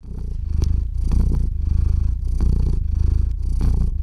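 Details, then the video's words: Theo, a domestic cat, purring into the microphone while falling asleep indoors, recorded on a RODE NTG-3 microphone with a Zoom H6 recorder: a deep, steady rumbling purr that swells and fades with each breath, about once a second. "Кот мурлычет на микрофон и засыпает/The cat purrs on the microphone and falls asleep"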